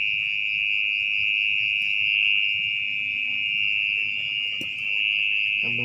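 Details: Orong-orong, a mole cricket, singing at night from deep in its burrow in soggy earth while the nest is being excavated; a continuous shrill trill, even in pitch, with a brief soft knock near the end.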